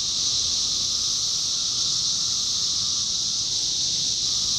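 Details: Steady shrill chorus of 17-year cicadas, Indiana, summer 2021, with a softer mid-pitched whining tone running alongside the high drone for most of the stretch, briefly dropping out then returning.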